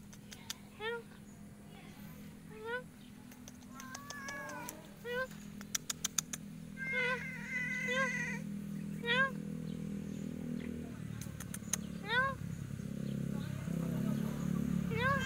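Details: A cat that climbed fast but struggles to get down, meowing repeatedly: short, high, rising-then-falling mews every second or two, some in quick pairs, over a low steady hum with sharp clicks and knocks.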